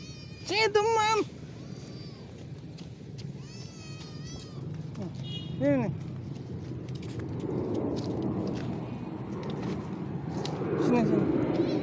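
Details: Roadside cat, struck by a vehicle and caked in black mud, follows a person offering food: a loud wavering meow near the start, a shorter cry later, with a coaxing voice and background rumble.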